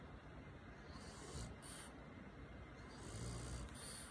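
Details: A French Bulldog, snoring comfortably while held in someone's arms during a cuddle, gives soft, low, rumbling breaths rising and falling in slow waves.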